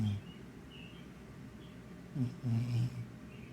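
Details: Dreaming house cat asleep, snoring with low, throaty rasping breaths, one brief at the outset, then a longer double rumble midway, separated by near-silence in a still room.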